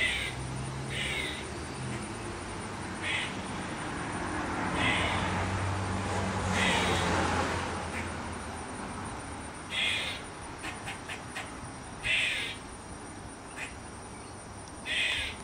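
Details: Backyard squirrel that clucks like a chicken, then caws: a long run of short, harsh bursts at uneven intervals, clustering into quick rattles late on, with passing traffic rumbling underneath.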